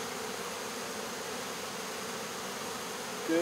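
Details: Honey bees in a swarm being removed from a baseball field, a thick constant hum of many wings, ending with a short louder sound.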